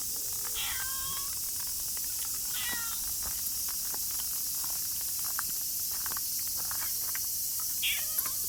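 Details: Tortoiseshell cat, a stray sheltering from rain, gives three short falling meows with clear harmonics, the first two close together and the third near the end, over a steady hiss of rainfall with scattered drip taps.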